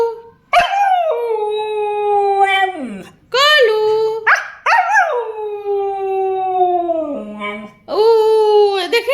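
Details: A husky dog 'talks' to its owner in greeting: a string of five or six long, wavering howl-like moans, each starting with a sharp yelp-like onset and sliding down, separated by short pauses. The owner's voice is heard nearby.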